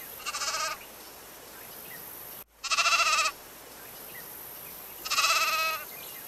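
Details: {'caption': 'Three short, high, quavering bleats from a domestic sheep, spaced a few seconds apart over a quiet hissing background.'}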